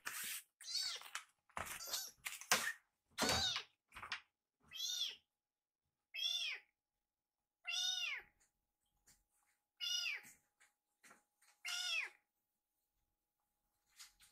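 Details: Rescued kitten Fumio asks for a second course after finishing milk fast; a burst of clattery noises and quick meows, then spaced arched meows roughly every one and a half seconds.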